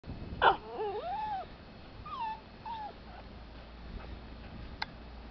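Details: Pet dog whining and barking, wanting to get at a soft-shell turtle its owner keeps it from: a sharp bark, then high wavering whines rising and falling, followed by a few shorter whimpers in a quiet room.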